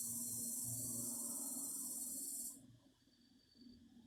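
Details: A shrill, continuous cicada buzz carries for about two and a half seconds, then cuts off abruptly, leaving a low droning hum and near quiet.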